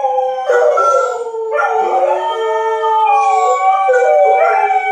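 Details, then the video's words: Several dogs howl together during a tornado siren test, with overlapping drawn-out tones rising and falling in pitch, and wavering harmonics layered through five seconds of continuous sound. "Dogs howling at the tornado siren test"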